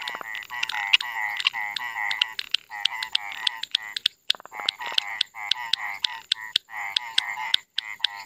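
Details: Night chorus of Indian frogs: many overlapping buzzy, pulsed croaks run almost continuously, with sharp clicking notes scattered throughout.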